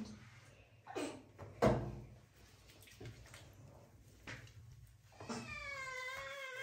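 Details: Kitten named Marseille, scared while being washed indoors by a parent and daughter, gives a wavering, slightly falling meow near the end, after scattered knocks and splashes in a small room.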